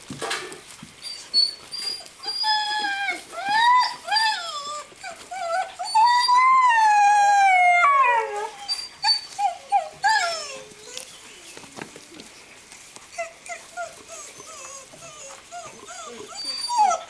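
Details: Seven-week-old Greenland Dog puppies from three litters playing together in a farmyard at Tinka's Kennel in June; a chorus of whiny yelps and rising-falling howls, with one long wavering howl near the middle and high squeaks throughout.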